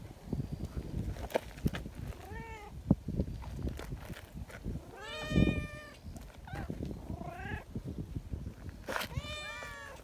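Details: Friendly community cats gather and greet with lively voices, wanting to be petted together; four separate rising-falling meows spread across the stretch, with low rustling and handling noise underneath.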